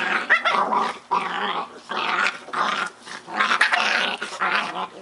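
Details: Scottish Terrier puppies having fun together, near-continuous rough playful growling in long rasping bursts with a few sharp yaps, gaps of under a second between bouts.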